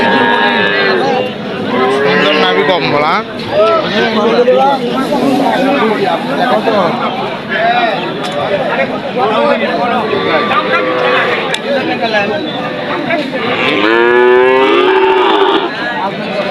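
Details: Cattle at a busy cattle market in Bogura, lowing in drawn-out, wavering moos near the start and again toward the end, heard over constant crowd chatter and men talking.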